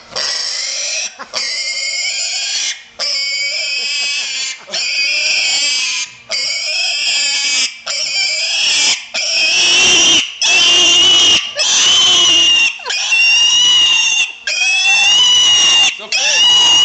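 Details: A piglet named Buddy squealing loudly and shrilly in a long series of piercing, harmonic-rich cries, each lasting about a second with brief gaps between, some rising and falling in pitch; no other clear sounds.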